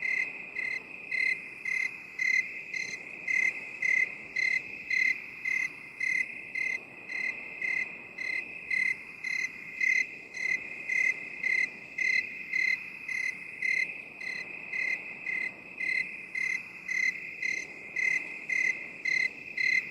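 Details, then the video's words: Relaxation cricket soundscape in binaural 8D. Bright, ringing chirps pulse steadily about twice a second for the whole stretch above an unbroken high drone, with nothing else audible. "3 HOURS OF 8D CRICKET SOUND"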